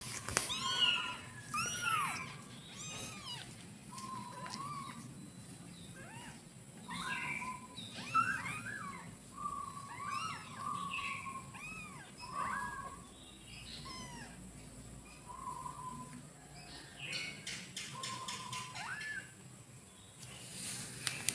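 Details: Domestic cat (kittens); kitten meows; kittens asking their mother to nurse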